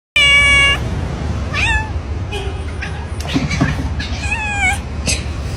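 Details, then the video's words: House cat that wants its owner's love all to itself gives a loud steady meow, then several shorter wavering meows over a low hum, with a person speaking nearby. "Cats want to have your love all to themselves."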